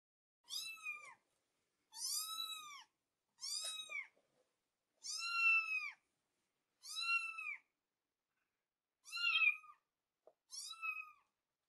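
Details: Domestic cat meowing, seven separate drawn-out meows spaced about every one and a half seconds, each rising then falling, clean and loud with a quiet background.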